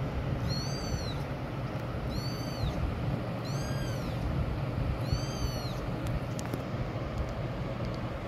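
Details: Kitten giving loud cries: four high arched mews, each rising then falling, repeated roughly every one and a half seconds over a constant low rumbling background.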